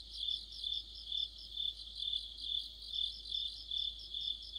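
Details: Crickets and other insects singing together in a deep autumn chorus near a streetlight: a dense high-pitched trilling band, pulsing in swells a little over two per second, with fainter higher chirps layered above.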